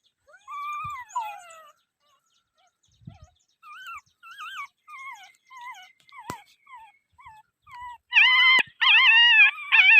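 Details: A dog whining: one long, falling whine, then a run of short, wavering, high-pitched whimpers, and finally louder, sustained quavering whines with sharp clicks in between.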